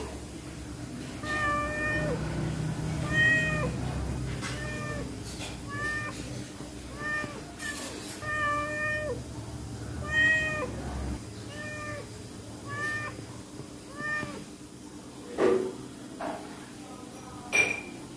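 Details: Pregnant stray cat, hungry, taking fish in a kitchen, gives a run of short, nasal, harmonic meows about once a second for the first eleven seconds, then quieter sounds with a few sharp clicks and knocks.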